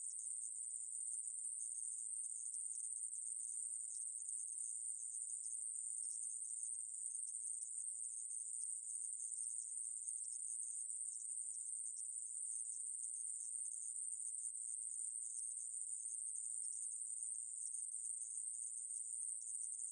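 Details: Coneheaded katydid (애매부리) recorded in 2020, a steady, unbroken high-pitched hiss-like buzz that holds one very high pitch with no gaps, no other sounds.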